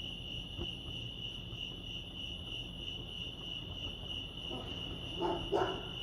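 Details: Crickets chirp at Lake Arrowhead, California, a constant high pulsing trill throughout, with a brief louder rustling burst near the end.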